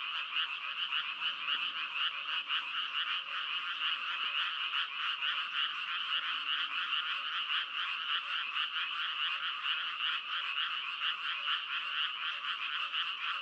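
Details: Frogs croak in a thick, unbroken chorus. Fast, rattling pulses pile over one another, with a few faint low tones drifting beneath the steady buzz.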